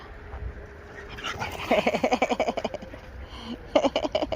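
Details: Jindo dog whimpering after a dog fight while making up, outdoors on a walk; rapid series of high whiny yelps and whimpers around 1.7–3 seconds, then another short burst near the end, with people talking and laughing nearby.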